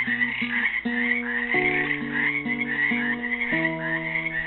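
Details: A steady shimmer of trilling frog calls rises from a pool in Helix, Oregon, on Earth Day 2016, where frogs are trapped; plucked classical guitar notes step through a simple repeating tune underneath.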